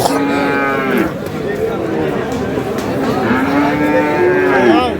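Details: Friesian and crossbred bull calves for sale at Aftabganj cattle market, Dinajpur, Bangladesh: two long, loud moos, the first fading after about a second and a second swelling near the end, set against steady market chatter.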